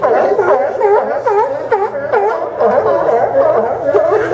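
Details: Group of sea lions on the Port of Newport dock, Yaquina Bay, Oregon, September 20, 2015, giving rapid, throaty, arching barks roughly twice a second, several voices overlapping continuously.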